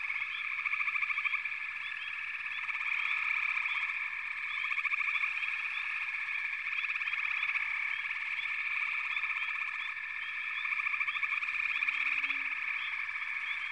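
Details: Frog chorus: a thick, steady mass of high calls with repeated bursts of fast pulsed trilling every couple of seconds, swelling again near the end.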